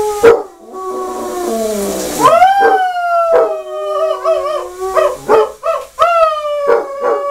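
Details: Basset Hound howling in the shower: long, drawn-out tonal howls with rich harmonics, sliding up and then wavering and dipping, broken by short sharp bursts, with water-like noise between notes.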